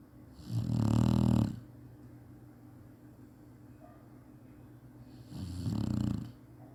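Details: Snoozing Chinese Shar-Pei produces a deep, gravelly snore, then a softer second one some four and a half seconds later; a faint steady hum fills the quiet room.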